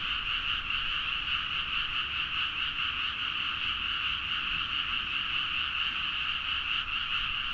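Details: At midnight in rice paddies in Nagaoka, Niigata, Japan, a dense chorus of frogs forms a steady, overlapping mass of rapid, rattling croaks.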